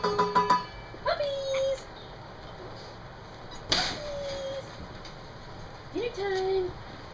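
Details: Standard Poodle puppies at dinner time, which have learned that food comes in a stainless steel tray that is banged to call them. Ringing metallic clangs open, followed by three drawn-out, steady whine-like tones spaced a few seconds apart.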